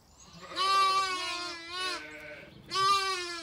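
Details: A Zwartbles lamb on a County Kilkenny farm in Ireland, having followed the farmer as if she were its mother, hears its mother and heads off to her. Three loud, wavering bleats rise and fall, with a quiet gap before the last.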